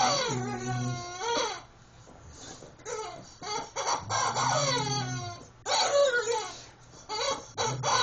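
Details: Rottweiler Bishop at play with his favourite toy chicken indoors; sliding, wailing whines in uneven phrases with short gaps, a low squeaky drone between them, and a voice urging him to get the toy.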